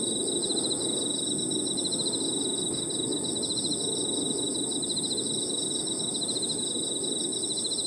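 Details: Park at evening with crickets and other insects: unbroken high shrill drone plus dense, rapidly repeated pulsed trills running the whole time, backed by faint low rumbling.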